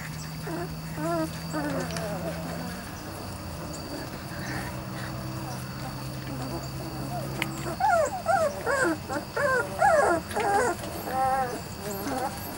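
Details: Weimaraner x Vizsla puppies from Biscuit's litter, three to four weeks old, give a run of high, wavering, repeated whines in the second half, after a steady low hum and some background murmur early on.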